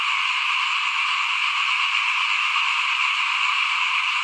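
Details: In front of a home while rice is being sown in 2021, frogs keep up a thick, constant chorus of fast overlapping trills, steady and uninterrupted throughout.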